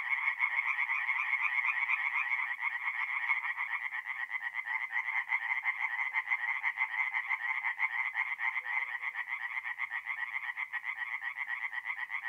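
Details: Tree frogs singing at night at a forest pond in mid-April, North-East Italy; dense overlapping chorus of rapid, rasping pulsed notes running continuously without pause, several callers layered together.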